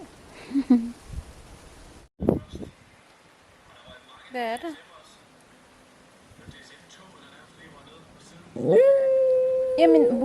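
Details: West Highland White Terrier, a male pet, answering his owner's child-like talk: scattered speech and small noises, then a loud, drawn-out, level whining howl that wavers slightly at the end.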